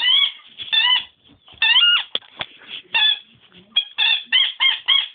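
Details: Nemo the dog squeaks in place of a bark: bright, tonal, slightly wavering squeals come in quick pairs and short bursts, with brief clicks and soft thumps between them.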